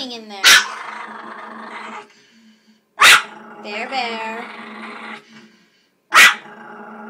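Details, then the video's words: Angry 5 lb mini Pomeranian guarding a treasure he dug out of the trash, recorded on an iPhone; a continuous low buzzing growl broken by three sharp barks about three seconds apart, with a woman's voice briefly heard. "Bear, angry mini Pomeranian"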